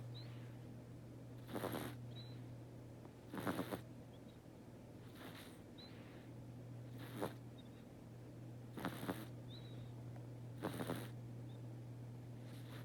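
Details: Snoring of a domestic cat asleep inside a room: gentle rasping breaths repeated at slightly uneven intervals of about two seconds, some doubled, against a constant low hum.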